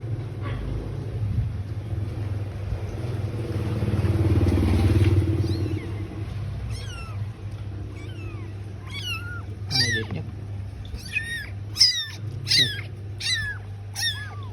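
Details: Bengal kittens mewing: after early murmured speech and low hum, a run of high, arched, harmonic meows starts near seven seconds, coming in quick, uneven succession and sometimes overlapping, as if from several kittens.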